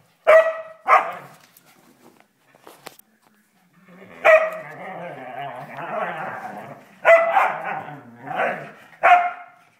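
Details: Whippet playing indoors, giving sharp barks in short bursts with a gap midway, mixed with excited growly vocalising; a person speaks Spanish softly.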